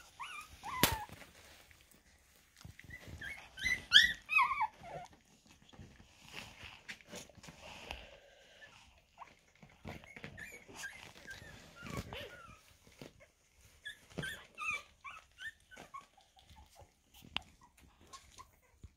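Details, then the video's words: Havanese puppies, 2.5 weeks old, the litter of Essi and Aldo, giving high, thin squeaky whimpers in short bursts, clustered near the start, around four seconds, twelve seconds and fifteen seconds, between soft rustling and clicking handling noises. "havanese puppies 2,5 weeks"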